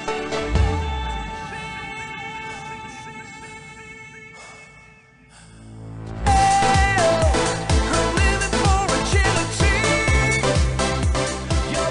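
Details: Pop music plays throughout, with a quieter tonal passage that dips briefly near five seconds before a loud, rhythmic beat with sung melody takes over.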